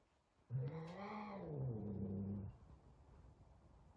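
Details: Big F2 Savannah cat afraid of a small kitten on their first time together: one low, throaty yowl of about two seconds, wavering and dropping into a rough growl at the end, over quiet room noise.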